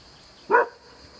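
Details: Black female hunting hound on a river bank barks at a boat floating past, with her owner cheering her on: one sharp, harmonic bark lasting about a quarter second against quiet background hiss.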